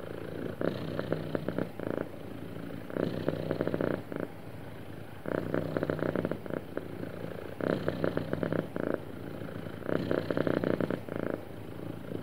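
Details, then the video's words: Contented house cat purring smoothly, rhythmic low vibrating rumble that strengthens in bursts about every two and a half seconds, fading slightly between each, in a quiet indoor setting. "Happy Cat Purring Smoothly"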